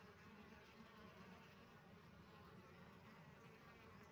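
Honey bees give a steady, low droning buzz that holds without a break.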